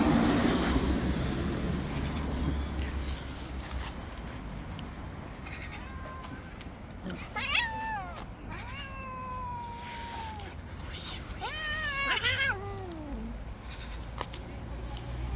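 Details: Tabby street cat, living outdoors among stray cats, jealously attacking and pushing away other cats that approach; a series of drawn-out, wavering meows with rich harmonics, some sliding downward, over steady low traffic rumble and faint voices.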